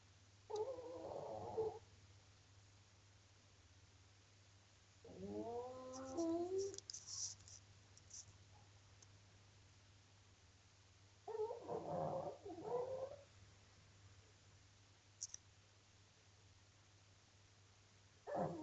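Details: A pug snoring very loudly: rasping, nasal bursts with wavering harmonic tones, each lasting one to two seconds and returning roughly every five seconds, separated by quiet gaps under a steady low hum.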